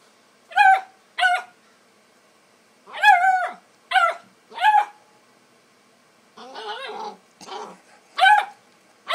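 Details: Bluetick Coonhound puppy playing with a cat on a porch, giving short high yipping barks in pairs and bursts, with a rougher, noisier stretch of growl-like sound near the end.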